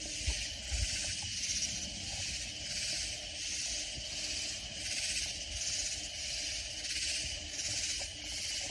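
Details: Katydid insects calling loudly in Texas Hill Country near San Antonio: a shrill, rasping chorus rising and falling in steady pulses roughly every second, over faint low background rumble.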